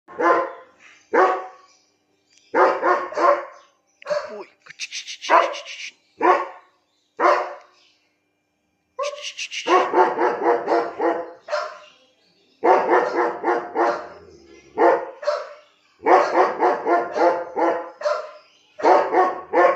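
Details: A 17-month-old German Shepherd in Lucknow, India, barking repeatedly in sharp, loud bursts, singly and in quick runs of two to four, with short silent gaps between volleys.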